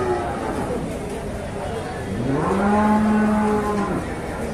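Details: Jumbo cattle at the Sibreh animal market in Aceh Besar, Indonesia: a low moo rises into a steady, level bellow lasting nearly two seconds, over a background of crowd chatter.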